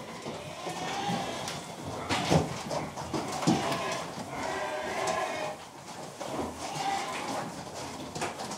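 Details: Baby pigs snuggling and playing, giving soft overlapping grunts and short squeals in a busy murmur of mid-pitched calls, with occasional louder bursts and a faint rustling background.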